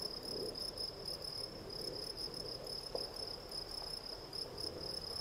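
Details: Gryllus campestris, the field cricket, gives a high, rapidly pulsed chirring song that runs evenly throughout, with soft background hiss and one faint click.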